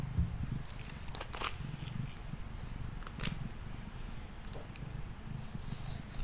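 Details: Domestic cat Mango purring on a table during brushing; low continuous rumble with gentle breath pulses, overlaid by brief crisp brush strokes.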